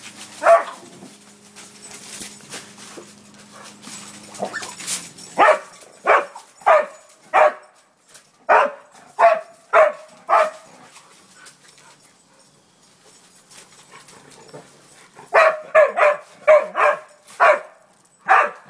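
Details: Barks from a playing dog arrive in two clusters of quick, sharp yaps separated by a quiet stretch, opening with a hum and rustling before the barking begins.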